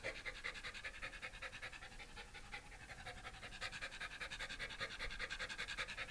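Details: Shiba Inu named Komugi at home during a pet sitter's house visit in Yaizu, Shizuoka, Japan, 30 September 2018: quick, rhythmic panting, about two and a half breaths per second, steady throughout.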